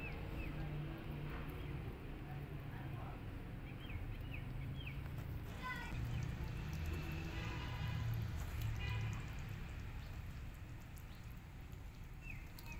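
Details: Rescue kitten climbing the walls and escaping, giving several short, high, arched mews in brief clusters, faint against a steady low rumble of background noise.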